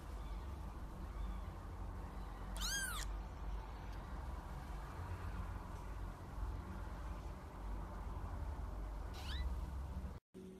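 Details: Kitten giving two meows: a high, arched mew with bright harmonics early on, then a shorter rising mew near the end, both over a steady low background hum.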